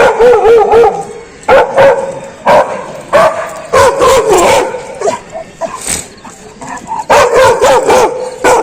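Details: A dog barking very loud: bursts of sharp, yapping barks in rapid clusters, several per second, with short pauses between the bursts.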